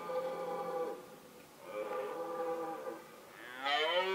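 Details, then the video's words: During the mating season a male red deer roars, recorded with a Nikon D7100 camera: three drawn-out, harmonic bellows in succession, the last one louder, higher and sweeping upward. "Cervo al bramito"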